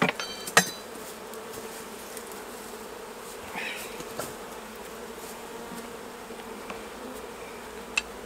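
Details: Honey bees at the hives during a honey harvest, a steady low droning hum holding through the whole stretch, broken by a few sharp clicks and knocks from hive work.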